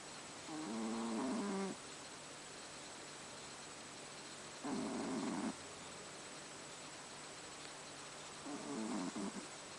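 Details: Haru, a pet cat, snoring while asleep at night in a dark room: three rough, buzzy breaths about four seconds apart, each lasting roughly a second, with a steady faint hiss between them.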